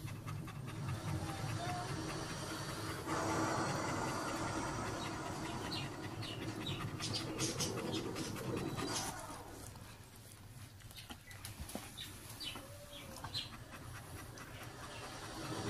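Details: German Shepherd panting hard like a train, quick breathy huffs about three per second in a steady rhythm, louder and rougher through the first nine seconds, then softer, with faint background sounds.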